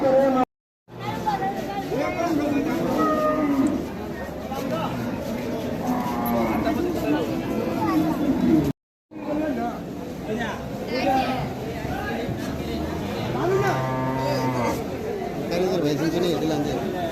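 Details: Native cattle at the Aruail cattle market, several long, deep moos rising over a steady background of market chatter and voices, with a brief break in sound partway through.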